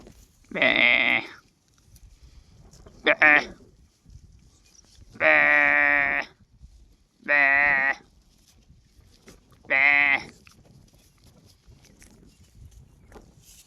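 A lamb bleats in short, wavering, nasal baas, repeated several times with pauses between.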